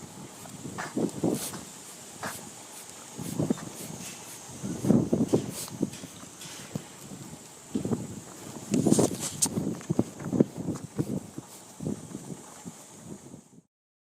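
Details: Miniature Schnauzer with mitral valve insufficiency and mild pulmonary edema, outdoors on its first walk in two weeks, unable to stop sneezing: short, snorting bursts, often in quick pairs, roughly every second, over a steady high hiss of background noise.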